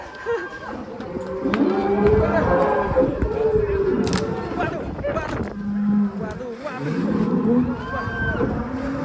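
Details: A cow, worked up and escaping its pen, lows in long droning moos broken by bangs and thumps. Men's voices call out over the animal throughout.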